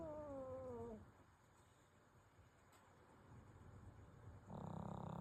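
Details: Pomeranian named Kuuta sound asleep and snoring: a whistly, slightly falling nasal tone at the start, then a quiet stretch of breathing, and a broad rough snort rising near the end.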